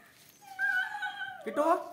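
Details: Kittu, a female Siberian Husky, excited about going out; a drawn-out steady whine followed by a sharper wavering yelp-like cry, indoors, with a person calling to her in Hindi.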